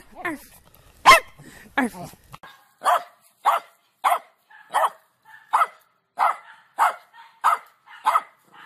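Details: Pet dog with a few loud opening barks, then a steady run of shorter barks repeated roughly every two-thirds of a second, with faint background voices.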